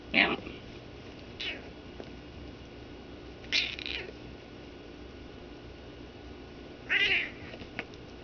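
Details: Pet cat attacking blankets indoors while a man eggs it on, letting out brief, high, squeaky meows every few seconds over a constant background hum.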